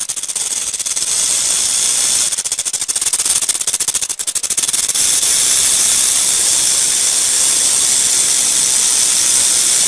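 A rattlesnake's rattle, a dry, high, hissing buzz that holds steady and then fades.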